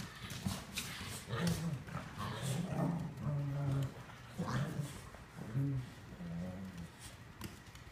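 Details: Seven-week-old Cavalier King Charles Spaniel puppies at playtime, ganging up on their mother: low, rumbling growls come in short bursts about once a second, with scuffling and thumps of play between them.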